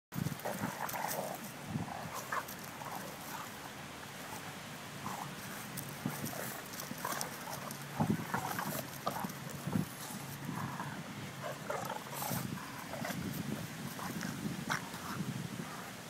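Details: Bulldog playing with another dog, recorded on a phone in September 2012 at low quality; rough, short grunting and snuffling bursts recur throughout, mixed with scuffling thumps and steady background hiss.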